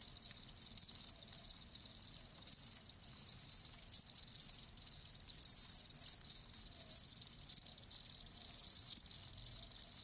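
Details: Softer chorus of live crickets: a faint continuous high buzz with sharper chirps standing out at irregular intervals, roughly every second or so.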